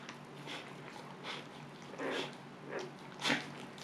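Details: Luna, a Siberian Husky giving birth indoors during her calm second labor, lets out soft, short whimpers spaced about a second apart, with a brighter, sharper whine near the end against a quiet room hum.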